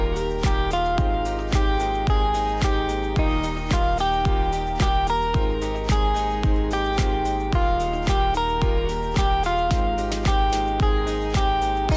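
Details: Gentle plucked-guitar music with a steady beat fills the whole stretch, with no animal sounds.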